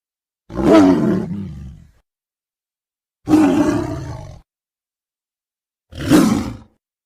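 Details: Tiger roaring in three separate bursts roughly every three seconds, each a deep, rasping roar that fades out, with silence between.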